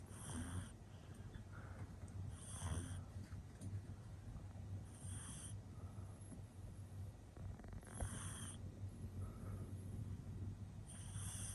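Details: Male pug puppy, born in 2021, sound asleep and snoring: soft breathy rasping bursts recurring roughly every two and a half to three seconds over a steady low hum, with quieter breathing between snores.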